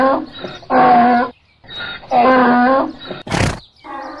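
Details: Short donkey bray: two long, loud, strained honks separated by quieter breathy intakes, then a sharp click and a brief softer honk.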